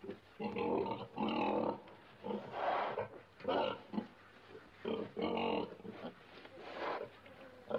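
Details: Pig grunting steadily, soft rounded nasal grunts repeated roughly every half second to second, over a low background hum.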